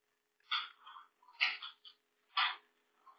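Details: Billy the Lurcher, a pet dog, struggling and failing to get up onto a table indoors; three short nasal whines or yelps about a second apart, with a faint steady hum underneath in a small quiet room.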